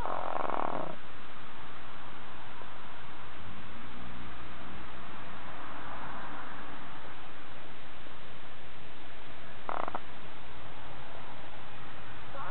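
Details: An 18-year-old pet cat snoring while asleep: a short rasping breath at the start and another near ten seconds, with a faint low hum and steady hiss between them.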